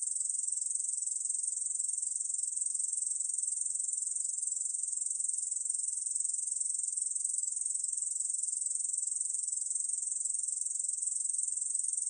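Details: Continuous high, sizzling stridulation of a Korean bush cricket, evenly pulsed throughout, from a 2020 National Institute of Biological Resources recording.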